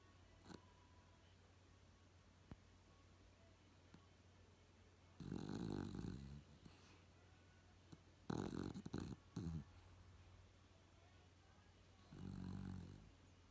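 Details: A dog snoring indoors: three rough, noisy breaths at irregular intervals, each lasting about one to one and a half seconds, separated by quiet pauses.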